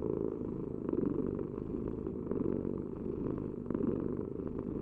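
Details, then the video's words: Cat purring up close: a dense, low vibrating drone with soft breath-linked swells and a few faint clicks. "Heal with the ultimate cat purring vibration"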